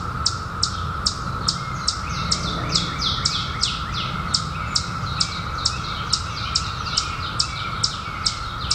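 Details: Chorus of periodical cicadas from the 2021 emergence after a 17-year hiding: continuous level hum at a single pitch, with bright short chirps ticking over it more than twice a second and a faint low rumble beneath.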